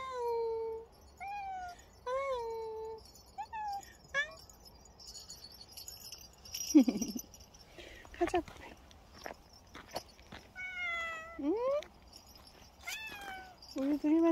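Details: Bobae, a very dog-like pet cat, meowing repeatedly: a series of tonal, drawn-out meows, some level and some sweeping upward or downward, with short clicks and bumps between the calls.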